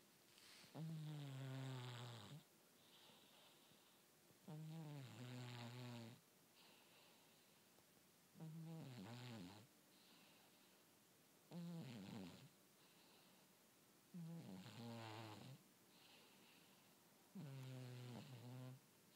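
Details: Sleeping cat snoring with frequent grunts; six rough, low snores, each lasting about a second and slightly sliding in pitch, spaced roughly three seconds apart with near silence between.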